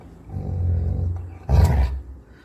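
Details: Coco, a pet Labrador Retriever, growls in anger: a deep, rumbling, low-pitched growl lasting about a second, followed by a brief louder, harsher burst, with a woman speaking Bengali nearby.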